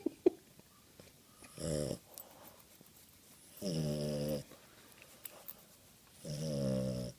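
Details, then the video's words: Boston Terrier snoring while asleep under a blanket; three loud rasping snores, each about half a second to a second long, roughly every two to three seconds, with faint rustling between. "Snoring Boston Terrier"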